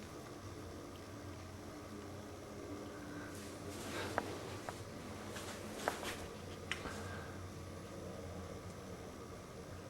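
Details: Quiet indoor room hum with a few faint clicks and soft rustles, and no bark or other animal call.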